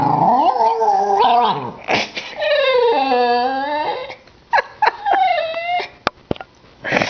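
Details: A 10-year-old female Cairn Terrier indoors complains because her toy is not thrown fast enough: long, wavering, moaning yowls rising and falling in pitch, then short sharp yips and whimpers separated by brief pauses.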